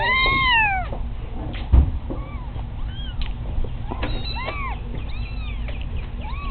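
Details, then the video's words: Very loud kittens: one strong drawn-out meow falling in pitch opens, followed by softer scattered short meows and a brief thump, over a steady low background hum. "loudest kittens ever"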